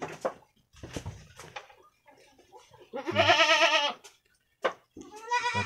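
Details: Jawarandu goat kids, two brown ones about one week old, playing in their pen on 6 November 2021; one long wavering, quavering bleat with rich harmonics, preceded by soft clicks and scuffles and followed by a short sharp knock and a brief second bleat.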